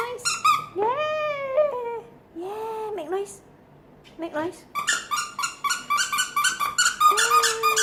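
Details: Female French bulldog indoors, vocalizing on command: drawn-out, tonal whines and moaning yowls that rise and fall, several in the first four seconds, followed by busier chatter, with a woman repeatedly urging and praising her.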